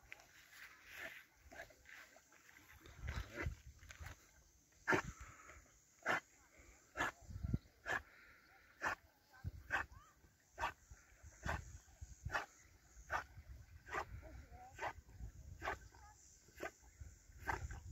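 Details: Ljubica, a nine-year-old Golden Retriever who loves swimming in the lake, fetching a wooden stick: steady breathy panting pulses, roughly one per second, with a person's voice calling her in the background.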